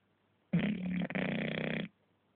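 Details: English Bulldog snoring in its sleep indoors: one loud, coarse, fluttering snore of about a second and a half with a brief break in the middle.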